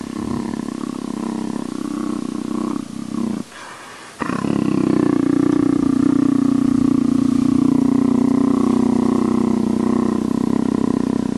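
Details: Leopard being scratched, making a continuous low rumbling growl-purr, briefly interrupted by a short quiet gap, then resuming louder and steady to the end.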